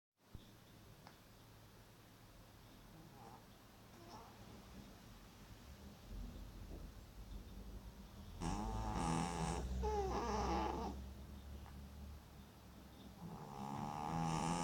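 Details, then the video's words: Sleeping male cat wearing an Elizabethan collar after healed dermatitis on his back, snoring loudly; after eight seconds of near silence, a long rasping, harmonic snore with a wavering pitch, then a second one building at the end. "Cute cat snoring really loud!"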